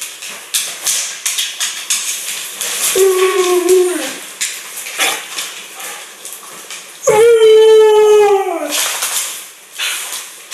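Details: A female Siberian husky "talks" back to her owner indoors, giving two drawn-out, wavering howl-like calls that slide down at the end.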